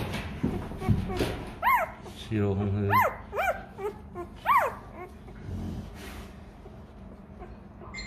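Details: Rottweiler puppy crying for milk because it is hungry: several arched, high whines, each rising and falling, rising between low human voices talking nearby.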